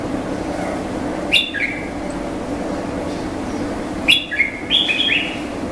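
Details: Indian flying fox calling in two bursts of sharp, screechy notes that drop in pitch, the second burst a quick cluster of three or four squeals, with constant low rumbling noise behind.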